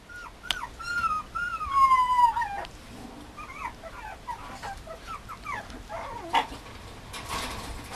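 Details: Mame Shiba puppy at a breeder, whining in high, thin tonal whimpers: a sharp yelp, then long falling whines with bright overtones, followed by a run of shorter rising-and-falling whimpers and soft background hiss.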